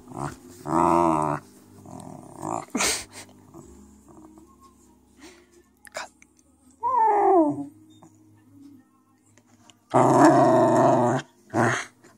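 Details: A happy Cairn Terrier puppy, showing his toy to his owner, sings in short bursts of harmonic, wavering howls and whines.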